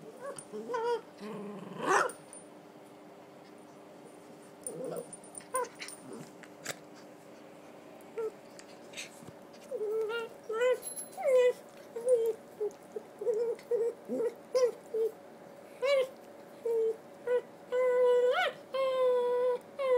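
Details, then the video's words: Red toy poodle Donut, a three-year-old female, whining while playing her usual game; after some quiet, scattered sounds come many short, thin whines, each bending up then down, in quick uneven bursts about once a second. "Donut and Her Whine"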